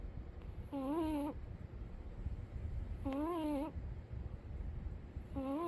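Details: Umi the cat sleeping and snoring indoors: wavering, wheezy tonal snores with a breathy hiss on each breath, three in about six seconds, roughly two seconds apart, over a low room rumble.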